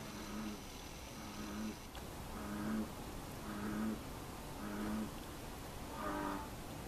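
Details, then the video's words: American bullfrog calling alongside a moorhen: deep, low, droning croaks repeated about once a second in a steady series of six, with a faint steady hiss behind. "バン と牛蛙の 鳴き声"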